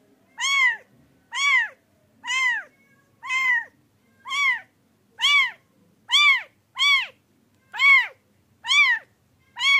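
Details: Domestic pet cat meowing steadily, roughly once a second, each call a bright arched mew that climbs and drops, repeated eleven times against faint low background hum.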